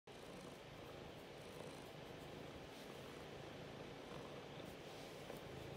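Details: Biscuit, a pet cat, demanding to be petted and scratched indoors; a steady, low, rumbling purr runs unbroken through the whole stretch at an even, quiet level, with no other clear sounds.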